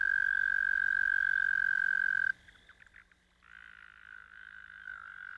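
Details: American toad calling, a steady, high, unbroken trill lasting a little over two seconds that stops abruptly; after a short near-silence with faint clicks, a quieter, wavering trill returns for the last two seconds.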